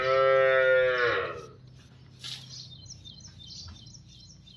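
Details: Cow for sale, one of two young cows with two teeth, in Niphad: a loud harmonic moo for about a second and a half, falling off into quiet with faint background noise and chirps.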